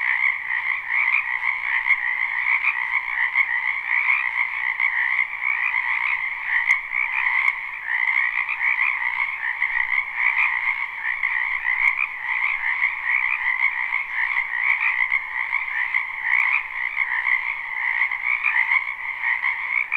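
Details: Chorus of frogs from a spring wetland, recorded live and unlooped; constant, buzzy croaking trills in two pitch bands, pulsing evenly for the whole stretch with occasional faint clicks above.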